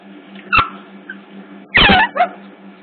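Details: At Hertfordshire Zoo, a hidden CCTV camera catches otter pups: a brief chirp, then a loud harmonic squeal lasting about a quarter second and a short follow-up squeak, over a low steady hum.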